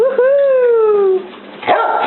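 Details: Cardigan Welsh Corgi puppy, over ten weeks old, trying to keep possession of an antler: a drawn-out tonal howling whine gliding slowly downward for about a second, a short pause, then a brief second rising-falling cry.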